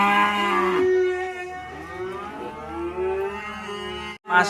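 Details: Black sacrificial cow being unloaded from a truck at a rural pen, lowing with a long, harmonic moo that swells and then slides upward, with a steady tonal background hum and a brief break near the end.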